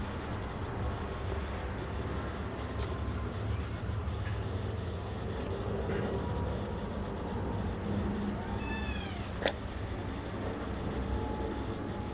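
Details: Brown tabby and white female Maine Coon kitten lets out a single short, high arched meow partway through, set against a constant low droning hum and faint scattered clicks.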